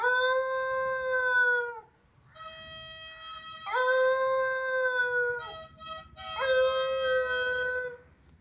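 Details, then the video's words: Dog from Kerala howling with a mouth organ: three drawn-out, slightly wavering howls, each about one and a half seconds long, taking turns with sustained harmonica chords between them. "Dog singing with mouth organ"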